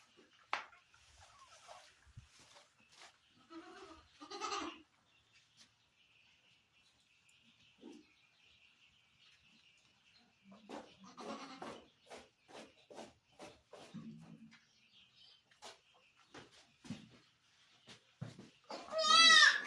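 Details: Barbari goat on a Sultanpur farm during delivery; sparse short bleats and rustling through most of the recording, ending in a loud, high, wavering bleat.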